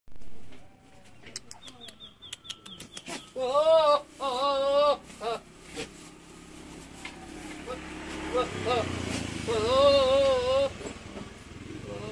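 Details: Young Javanese goat in heat during mating season, giving wavering, quavering bleats near 4 and 10 seconds, each about a second long with a trembling pitch, between clicks and light background noise outdoors.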